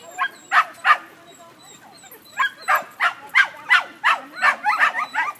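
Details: During a first sheep-herding lesson, German Pinscher Remme barks in short, sharp, bright bursts, spaced unevenly at first and then coming about every half second, over a quiet background.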